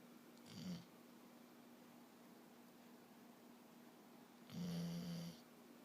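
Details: A sleeping pup gives two soft, husky snores, one short and one longer near the end, separated by several seconds of quiet room tone and a faint low hum.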